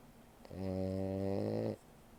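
A French Bulldog gives one long, rumbling snore, deep and buzzy, lasting over a second.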